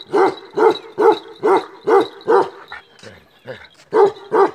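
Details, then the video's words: Male Kashmiri Eksaya livestock guardian dog from the Himalaya, black-coated, barks in a steady series of deep barks roughly every half second, breaking off briefly for a few softer grunting sounds before two more barks. "KASHMIRI EKSAYA (CEASELESS BARKING) BREED"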